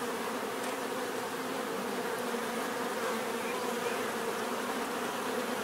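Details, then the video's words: Steady, dense buzzing of many bees, a constant droning hum without pauses, calm and even throughout. "bees therapy relaxing natural buzzing sound"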